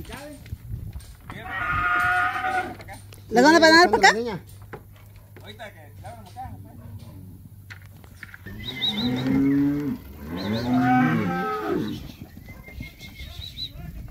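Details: Calves in Campeche, Mexico, on 20 August 2022: loud, harmonic bawling moos in three bursts, a short one, a sharper wavering cry, then a longer drawn-out pair of moos, over a steady low hum and background noise.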